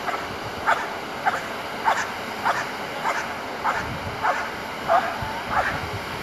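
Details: Asyong, a Belgian Malinois in bite work training, barks repeatedly in a fast, fairly even rhythm of about ten short, harsh barks, with faint background noise throughout.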